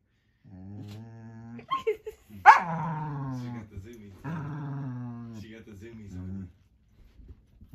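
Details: Indoor play between a female Norwegian Elkhound puppy having the zoomies and her older brother, who seems displeased. Long, low, harmonic growling is heard, broken by a sharp yelp mid-way before the drawn-out rumbling resumes and fades.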